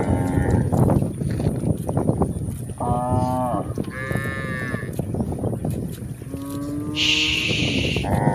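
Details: Grazing village cows in a rural pasture: several overlapping moos at different pitches, some high and strained, others lower and steady, over loud crunching of grass and steady background noise.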